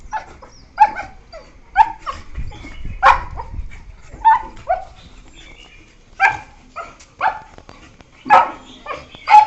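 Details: Young beagles, one year four months old, yelp at each other in play; scattered short yelps and whiny yips, about one a second, irregular and fairly soft, with a brief low rumble early on.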